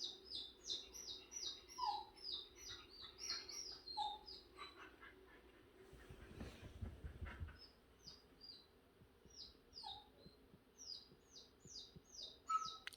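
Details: Jindo dog at home fussing and whining because it needs to poop after a day of diarrhea from the previous day's snack; rapid series of short, high, downward-sliding whimpers, a few lower squeaks, and a brief rustle midway.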